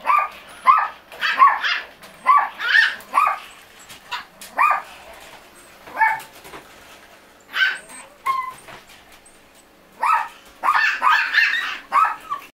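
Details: Maltese puppy yapping in quick clusters of high, sharp barks, with pauses and a few thin whining squeaks between the bursts.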